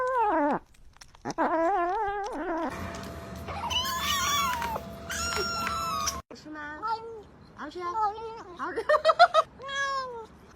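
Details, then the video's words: Domestic cat vocalizing while eating indoors: short wavering, whiny mews with rippling pitch, repeated in quick bursts, broken midway by a few seconds of clattering, hissing noise with thin high tones. "Cat noises when eating"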